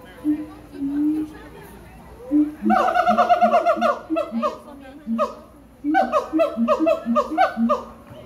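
A siamang gives two bursts of loud, rhythmic, hoarse barks that rise in quick, pulsing series.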